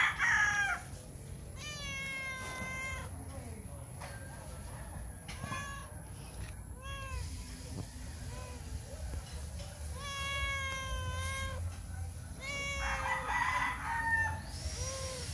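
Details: Stray male cat named Socks, which comes to a back gate every morning and meows hard when hungry to ask for food. It gives repeated loud, drawn-out meows that slide downward in tone, several in quick succession, over a steady low background hum.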